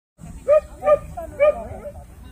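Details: Jindo dog at the 66th Korea Best Jindo Dog selection show, barking three times in about a second and a half, each bark sharp and mid-pitched with strong overtones, over a low crowd murmur.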